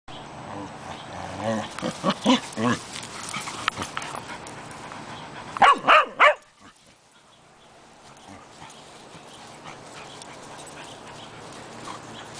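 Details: Tiara, a new puppy, playing with Cody, the family dog, at home: a quick run of sharp barks and yips in the first seconds, then a loud burst of three barks around the middle, followed by quiet room noise.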